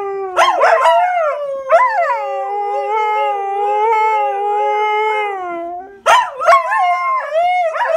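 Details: Pet Siberian Huskies talking to each other as they do daily: yelps open, then a long sustained howl with a wobbling, warbling pitch, falling away before a burst of sharp rising yips and short howls.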